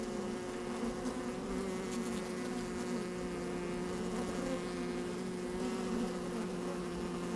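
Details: Busy honey bees moving about in an open hive on a sunny, slightly windy day, recorded from inside the hive: continuous even hum with stacked tones and a soft crackle of movement.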